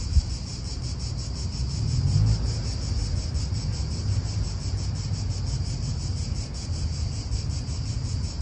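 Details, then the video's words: High, shimmering cicada drone in an Italian park, pulsing evenly without pause, while wind gusts and a faint car hum rumble low underneath, swelling briefly near the start. "italian park ASMR Cicadas wind real atmosphere in an Italian park birds"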